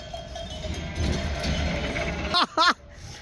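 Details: Sheep on a farm in northern Spain, two short bleats in quick succession at the end, harmonic and slightly wavering, following a stretch of low rumbling background noise and a faint bell-like tone.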